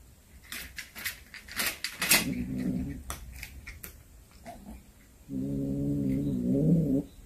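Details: Cat back home with a hunted snake: after scattered clicks and thumps, a short low moan, then a longer steady growling yowl near the end, sustained for almost two seconds in a small room.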